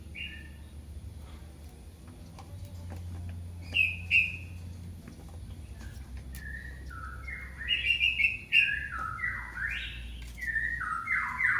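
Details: Kitten calling for its mother: a few short, faint high cries early on, then a run of loud, thin mews sliding downward in quick succession near the end, over a low steady hum.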